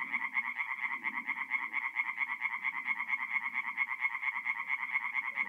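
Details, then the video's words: Singing tree frogs at a forest pond by night in mid-April, North-East Italy: a dense chorus of rapid pulsed croaks, bright and nasal, repeating about twice a second, with a softer low murmur of other frogs underneath. "relaxing forest pond by night with singing tree frogs"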